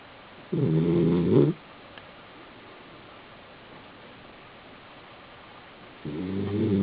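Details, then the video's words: Basenji dog, male, sleeping on his back in an apartment in South Park, Pennsylvania: one rough, droning snore of about a second, a long quiet pause, then the next snore beginning at the end. "(Basenji) Sleeping and snoring on his back."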